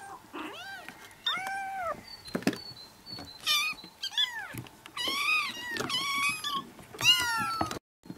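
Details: Kitten sounds played to bring a cat to cuddle: a busy string of high mews, short and long, often overlapping as if from a litter, ending abruptly in silence.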